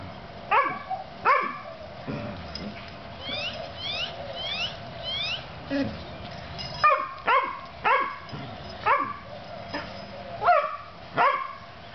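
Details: Two playing puppies, Oreo and Brutus, yapping in short sharp high barks that come in bursts, roughly one to two per second with brief pauses, several rising yelps overlapping, over a steady hum in the background.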